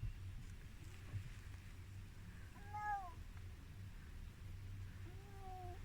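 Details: Tiki, an elderly Korat cat from Thailand living in England, at a vet clinic: two faint separate meows, the first short and arched, the second rising then falling, over a steady low hum.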